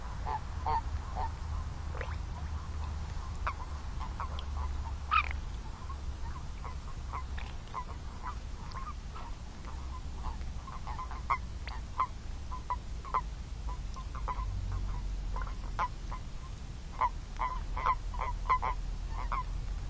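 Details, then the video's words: Toads calling in a dense chorus: many short, mid-pitched croaking notes overlap and repeat irregularly throughout, with a steady low rumble underneath. "Song of the Toads"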